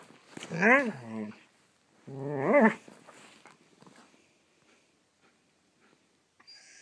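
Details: A playful young Siberian Husky pup, burning off energy before bedtime, gives two drawn-out, wavering, yodel-like calls, each under a second long.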